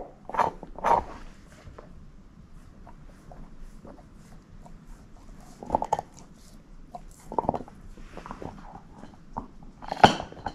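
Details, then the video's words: Shepherd mix named Moose, a female dog, eating a bone in a quiet room: scattered sharp clicks and crunches of teeth on bone every second or two, with quiet gaps between bites. "SHEPHERD EATING BONE ASMR"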